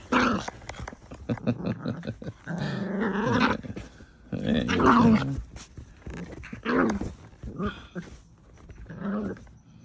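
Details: Two Miniature Pinschers, a merle-coated female and a chocolate male, fighting as one tries to gain dominance; rough, snarling growls come in bursts of one to two seconds with short quiet gaps, and a person's voice is faint in the background.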